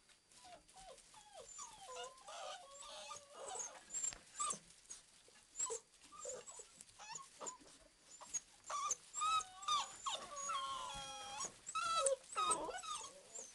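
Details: Playing Old English Sheepdog puppies give a long run of quiet, squeaky whimpers and whines, some sliding up and down, others short and rapid, with soft scuffling between calls.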